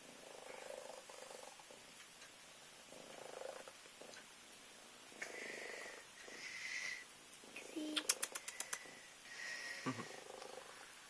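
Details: Minskin cat purring as it wakes a child in a small room: gentle pulsing purr repeating steadily, a burst of rapid clicking taps near the middle, faint speech.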